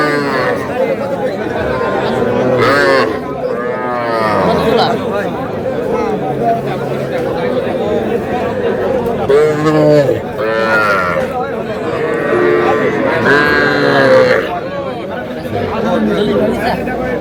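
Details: At a Madaripur cattle market in Bangladesh, full of small bull and heifer calves, repeated short moos from several calves break through continuous human talk and haggling, clustered around the middle and later stretches.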